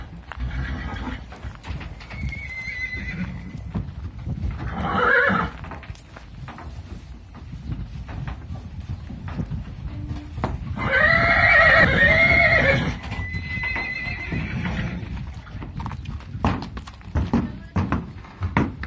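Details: Horses being loaded into transport for a move to Biddinghuizen, five going in one trip; a loud whinny rings out near the middle with shorter neighs earlier, amid hoof clops on the trailer floor and background noise.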